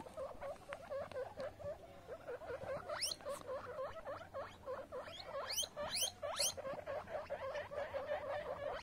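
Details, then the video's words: Young guinea pig grooming himself, with soft, busy chirping squeaks run together and a few sharp higher sweeps in the middle, over light rustle. "Baby Guinea Pig Cleans Himself"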